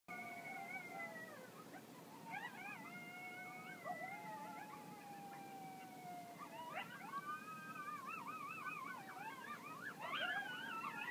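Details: Several coyotes in the Las Vegas wetlands howl together, long wavering notes overlapping, then breaking into quick rising yips.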